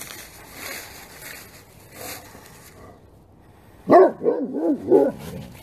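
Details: Great Pyrenees dogs barking together at full force: after quiet murmuring, a burst of four or five loud, deep, hoarse barks in quick succession near the end.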